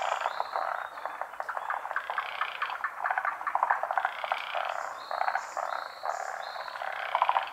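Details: Large chorus of pond frogs, number of species unknown; rapid clicking pulse series and harsh croaks overlap densely, with some higher short notes sounding near the end.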